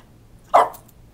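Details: Female French Bulldog barking on command indoors after a person's encouragement: one short, sharp, mid-pitched bark.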